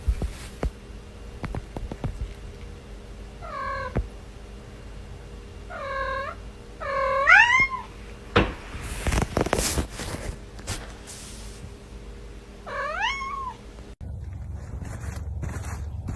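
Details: Domestic cat giving four separate meows, each a drawn-out tone that rises then falls, spaced several seconds apart. A steady low hum runs underneath, with loud knocks and clattering bursts between the calls.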